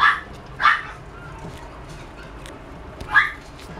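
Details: Small toy poodle yipping: two quick high barks close together, a pause of over two seconds with faint soft sounds, then one more bright yap near the end.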